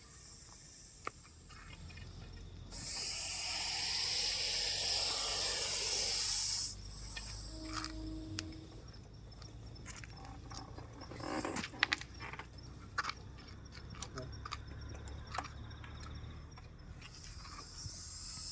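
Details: Russell's viper, caught by a snake rescuer and brought to be released somewhere safe, lets out a loud, harsh hiss lasting about four seconds, followed by handling knocks, rustling and scattered clicks.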